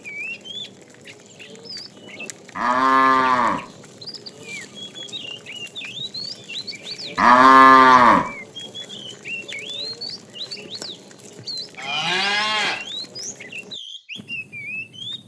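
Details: ['Fat cow calling the female while a tame herd is herded in the afternoon; three separate moos roughly every four to five seconds, each about a second long and slightly wavering, over constant bird chirps and whistles.']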